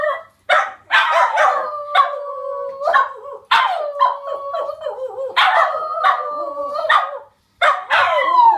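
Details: Border Terriers, a household's pet dogs, howling together: yappy barks breaking into long wavering mid-pitched howls, several voices overlapping, in three bursts separated by short pauses.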